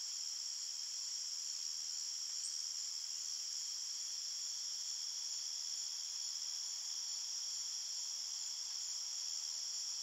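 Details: Night-time cricket chorus in a calm forest: a continuous shrill, ringing trill at a high pitch, with layered tones holding even, and one short brighter chirp early on.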